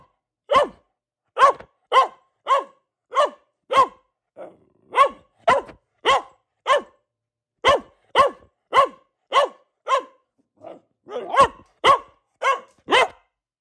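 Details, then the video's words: Luna, a female pet Boxer dog, barking at home: sharp repeated barks roughly every half second to second, in bursts with short pauses and a few softer, lower whines between them. "Relaxing Barking from our Dog - Luna the Boxer"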